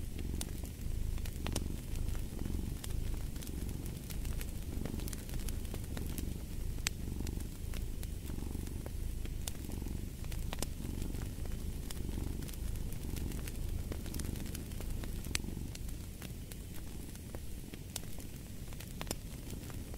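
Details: Steady, low-pitched purring from a domestic cat, pulsing gently in repeated breath cycles about every second, accompanied by intermittent sharp pops and crackling from a fire.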